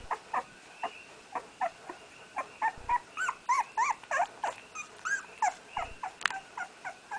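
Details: Firstborn puppy Red, from Aina's first litter, crying as he learns to walk: continuous chain of high, arching whimpers and yips, about three a second, some with rising-falling pitch, over faint background hiss.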